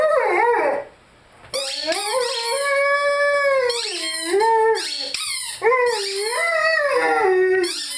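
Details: Lyle the Rhodesian Ridgeback howls and sings alongside his favorite squeaky toy; after a short pause, long sustained howls swoop down and up, with sharp toy squeaks breaking in between.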